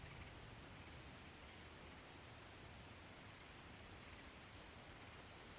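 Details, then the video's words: ['Handsome meadow katydid singing by rubbing its wings: rapid, faint, very high ticks repeated in uneven bursts over a steady background hiss.'] "Katydid making noise / sound / chirping | Handsome meadow"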